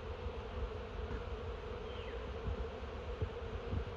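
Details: Honey bee swarm crawling into a new hive from a tangle of sticks: a steady, dense low hum with a droning band throughout, light crackling and faint distant bird notes.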